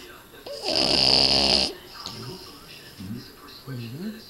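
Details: One loud, rough, rasping snore lasting about a second comes from a sleeping red Boston Terrier, male. Low human speech follows.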